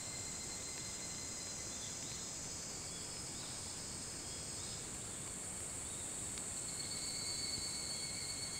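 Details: Evening cicadas (higurashi) calling before dawn, 4:30 a.m. on 28 July 2011, on the Hitotsubashi University campus in Kunitachi, Tokyo; a steady high shimmering chorus with layered bands, faint short chirps scattered over a low background rumble.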